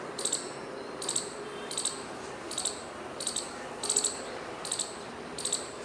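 A squirrel gives sharp, high, raspy chips in short bursts, repeated about every three quarters of a second.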